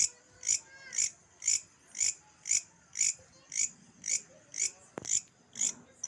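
An insect calls with high, raspy bursts repeated about twice a second.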